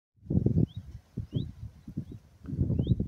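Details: Lambs that had lost their mother bleating in the open countryside, low wavering calls in bursts, with faint high bird chirps repeating above.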